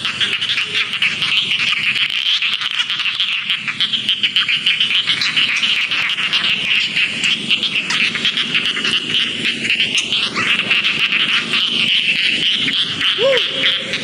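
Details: Rice field frogs calling in a dense chorus: overlapping high, rasping pulsed notes repeated several times a second merge into a steady buzzing wall of sound, with a brief rising squeal near the end.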